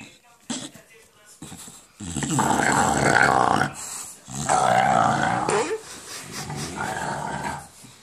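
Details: English Bulldog growling while playing with a tennis ball indoors, a rough, snoring-like monster sound in two long bursts of about two seconds each, with a woman talking over it in between.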